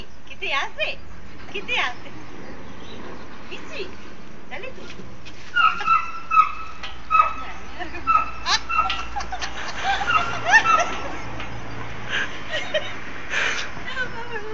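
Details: A Bull Terrier playing with a cat gives a run of high, whining yips, with people talking in the background.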